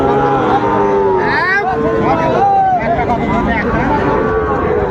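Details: Sahiwal bull calves at a cattle market in Chapainawabganj, Bangladesh, on 19 September 2024. Several overlapping moos, drawn-out and wavering, rise and fall in pitch over steady crowd chatter and bargaining voices.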